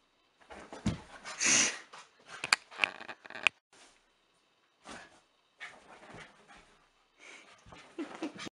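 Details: A happy five-month-old Basenji puppy gives quick bursts of squeaky yips, whines and breathy snorts.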